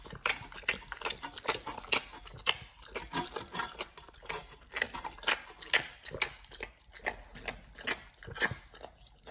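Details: A raw whole Thai duck being devoured by nomyen the Pit Bull, first time fed one. Loud, uneven crunches and wet gnawing repeat steadily, about two a second, bones snapping amid sticky mastication.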